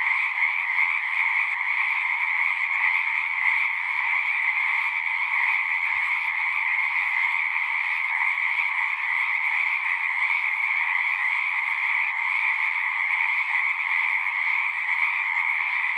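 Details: Dense chorus of singing frogs, an unbroken high buzzing trill of many voices, with a few faint low thumps in the background partway through.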